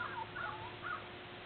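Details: Border Collie puppies from the Nell x Skeet litter, out and about on April 8 2016 while learning to climb stairs; three short, high, thin whines, each sliding downward, within about one second over a steady low hum.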